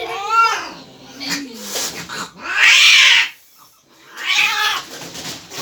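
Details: Cat going wild at the vet; a rising harmonic yowl opens, followed by two long harsh hissing bursts, with a person speaking soothingly at times.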